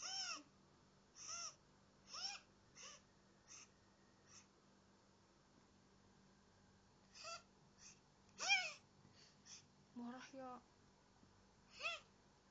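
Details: Balsam, a male pet cat known for saying "nyeh" instead of meow, gives about a dozen brief nasal arching calls, some in quick pairs, with quiet gaps between them and little background noise.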